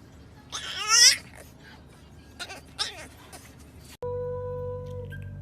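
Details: Tiny puppies howling for the first time indoors: a short, high, wavering whine-howl swells and fades, followed by a few brief squeaky yips, and then music starts and plays to the end.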